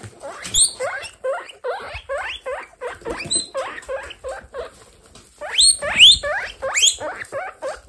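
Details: Baby guinea pigs in a kindergarten group kept as pets, from a household of 27 guinea pigs; many overlapping squeaky wheeking calls, rising then dropping, repeated in rapid bursts with a few sharp high whistles near the end.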